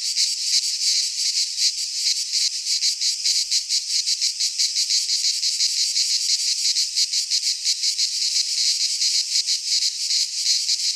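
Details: Midsummer cicada chorus from Greek pine woodland, an unbroken shrill buzz with rapid rhythmic pulsing as many insects overlap; nothing else audible besides a faint tick near the middle.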